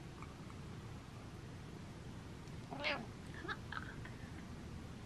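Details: Pet cat Butters giving a happy 'mreh': one faint, short, chirp-like meow midway, then a couple of softer breathy chirps, over a steady low indoor hum.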